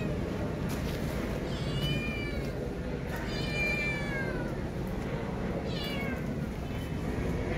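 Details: Frightened kitten left by her mother, keeping away from a human hand, gives three drawn-out plaintive meows that rise then fall in pitch, with a constant low hum behind them.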